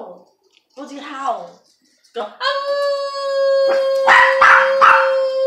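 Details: Pet dog indoors, its owner coaxing it to howl: short wavering vocal sounds, then a long, flat, steady howl carrying many overtones, overlaid with loud rough bursts toward the end.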